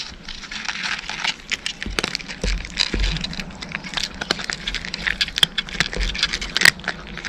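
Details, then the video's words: Cat crunching dry food: a dense run of sharp, crackly bites and grinding clicks, loud and close, with brief low thumps between bursts of chewing. "カリカリッ！ カリカリッ！ Pleasant cat chewing noises!"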